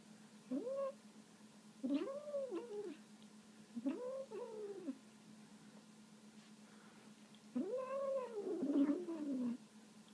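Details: Female kitten, one of three kept at home, growls and moans while eating meat indoors: four arched, wavering yowls, each under a second to two seconds long, separated by short pauses, over a steady electrical hum.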